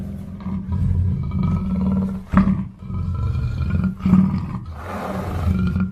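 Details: Black panther giving a low, rumbling growl-roar with a steady droning tone, broken by two sharper, louder bursts near the middle and a breathy rasp toward the end.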